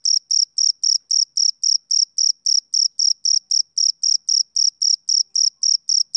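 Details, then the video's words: A male cricket calls through a summer evening with regular high trilled chirps, roughly four each second, steady in loudness, on a silent background. "Cricket Chirping Sound Effect"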